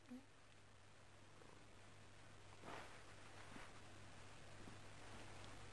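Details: Female house cat at night indoors, bored and wanting attention before bed, growing sleepy and purring while stroked; steady low rumbling purr throughout, with a brief rustle and soft thump partway through.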